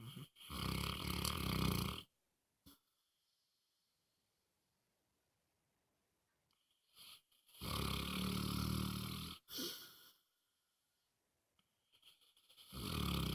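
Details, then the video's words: Moses, a pet dog, snoring loudly while asleep indoors: long, rasping, wheezy snores about two seconds each, separated by quiet pauses of several seconds, three full snores plus the start of another. "Snoring Dog"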